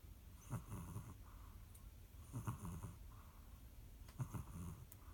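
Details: Cat snoring: soft, low rasping breaths recurring about every two seconds, with faint wheezy overtones and a quiet room behind.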